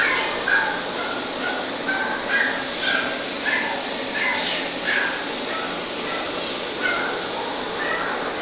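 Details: Male Chihuahua giving short, high-pitched yelping cries, about two per second and unevenly spaced, over a steady background hiss.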